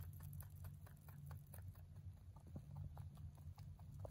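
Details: A male mini rabbit chews hay in quick, rhythmic crunches, roughly three to four per second, crisp and dry against a steady low hum.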